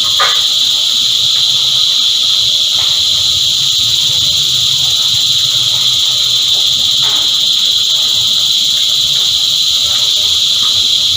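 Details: An insect choir of cicadas keeps up a constant piercing buzz at high pitch. Faint, brief ticks and knocks break through now and then, and a soft low rumble lies beneath.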